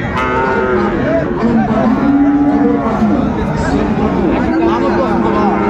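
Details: Friesian and cross-breed bull calves at Raniganj cattle market, Dinajpur, Bangladesh, 2 January 2025; sustained low moos rise and fall over several seconds, overlapping from multiple animals amid busy market chatter and bargaining voices.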